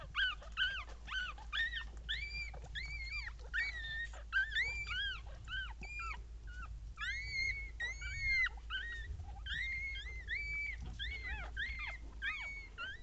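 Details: Mother Papillon Tinka's young litter of three puppies, born 16 April 2013, whimpers continuously. Overlapping high squeals rise and dip, coming in irregular bursts, with soft rustling and a low background drone.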